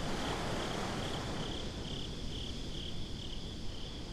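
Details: On a beach at night, crickets repeat quick high chirps about four times a second, the rhythm slightly uneven. A heavy low roar of wind and waves fills the background of this binaural recording.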